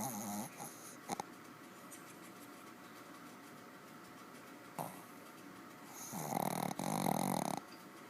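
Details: A heavily snoring dog, fast asleep and hard to wake, makes a brief snore at the start, then quiet stretches, then a louder, longer rattling snore with a tonal wheeze late on.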